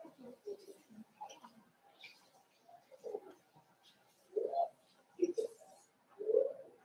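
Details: Five-week-old Cavalier King Charles Spaniel puppies in Daisy's indoor puppy pen: soft low murmurs, then three louder, short, cooing whines close together near the end, with a faint higher squeak between them.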